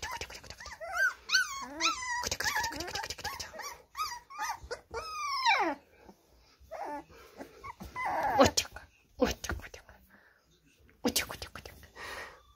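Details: Indoors, an American Staffordshire Terrier said to be attacking a person whines repeatedly, with high arching cries rising and falling for about six seconds, interleaved with people's speech and laughter. Later the dog goes quiet beneath talking.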